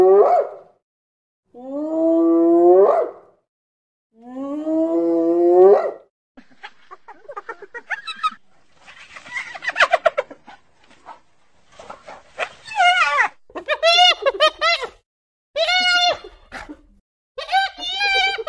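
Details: Spotted hyena night calls: drawn-out tonal whoops, then choppy, higher-pitched yelping and chattering bursts.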